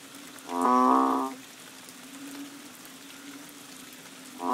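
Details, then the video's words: Rainy-season banded bullfrogs calling behind a bungalow on Koh Lanta, Thailand, in March: one full lowing moo of under a second, then the start of another at the end, over a low continuous hum. "The Amazing Moo Frogs of Koh Lanta!"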